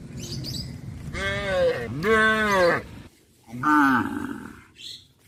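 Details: Cows walking back to the barn in the afternoon on a village farm give loud, drawn-out moos, one rising then falling and a shorter one following, with music playing.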